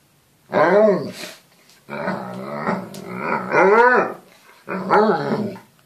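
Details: Alaskan Malamute indoors giving drawn-out, rising and falling woo-woo vocalizations with growly tones in three separate bursts, with short gaps of quiet between them.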